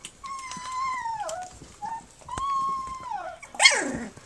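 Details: Flute's puppies at three weeks old, nursing and playing indoors; two long, steady, high whines that each slide downward at the end, a brief squeak between them, then a short, loud, falling yelp.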